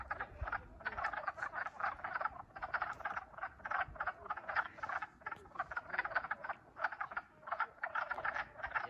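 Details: Wood frogs (Lithobates sylvaticus) calling from a small pond near a trail at Wachusett Mountain in spring give a chorus of short, clucking, duck-like croaks in rapid overlapping bursts.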